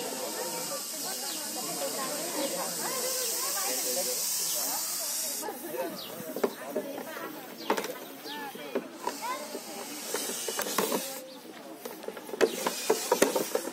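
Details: Russell's viper during a rescue, giving its whistle-like hiss: a steady, loud, airy hiss for about five seconds, fading and returning in shorter bursts, with people talking and clattering throughout.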